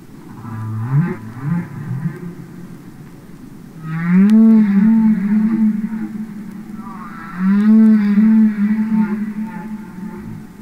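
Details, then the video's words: Humpback whale song recorded underwater, real whales singing and communicating: low grunting pulses followed by two long wavering moans with strong harmonics, each lasting about three seconds, separated by a short pause. "Songs Of The Humpback Whale"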